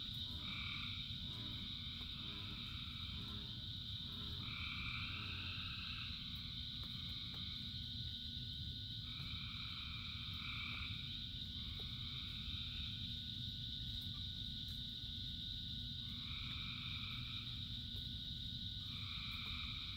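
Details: Massed frog chorus in the rain: many callers trill together without pause, and louder overlapping phrases come and go irregularly over twenty seconds beneath a steady wash of rainfall.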